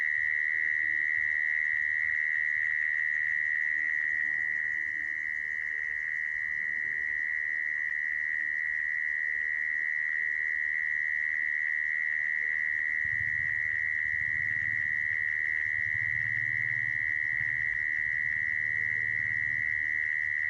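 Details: Mole cricket trill used to lure crickets into traps, a long unbroken shrill whirr at fixed pitch, joined in the later part by a low rumbling hum.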